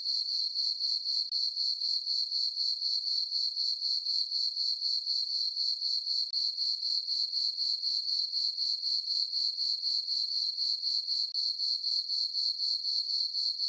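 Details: Crickets chirping on a summer night in a farm meadow under a full moon: a high, steady trill pulsing about four times a second, even and unbroken, with no other sounds.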